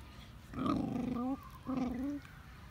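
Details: Dog growling while puppies play with big dogs: two drawn-out, tonal, moaning growls, the first lasting about 0.8 seconds, the second about half a second after a brief pause, over a quiet background hiss.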